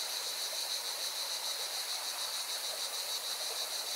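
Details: Cicadas sing by a mountain river in Valencia, Spain, giving a continuous high, pulsating drone with rapid beats throughout, while the river's broad rushing noise fills the background.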